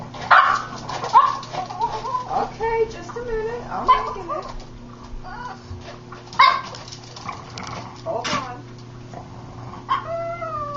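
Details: Female dog Willow gives odd, wavering whines and short yips while her owner talks to her, noises she always makes, along with little spin dances, while her supper is being made.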